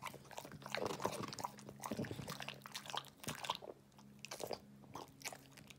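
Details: English Bulldog eating indoors in a small room: loud crunching bites and wet chewing in irregular bursts, strongest in the first two seconds, with a steady low hum underneath.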